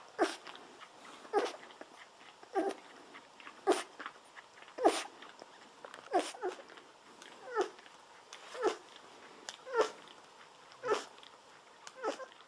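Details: Golden Retriever puppies, 17 days old, lying on their backs while drinking milk from a baby bottle. Short squeaky bursts with sucking noises come roughly every second, steady and rhythmic. The room is otherwise quiet.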